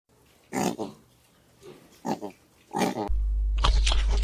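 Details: A pig gives three short, rough grunting oinks, each a throaty nasal burst, before loud rushing noise takes over.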